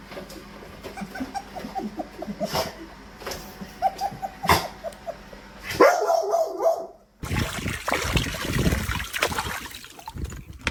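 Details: Labrador Retriever whining and whimpering in a run of short high yips and squeaks, then a sudden burst of loud music with clapping and people talking over it.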